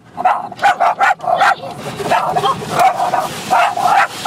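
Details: Chloe, a pet dog, barking at a car wash: a rapid run of sharp, loud barks in quick irregular succession, about two or three a second, with a hum of background noise between them.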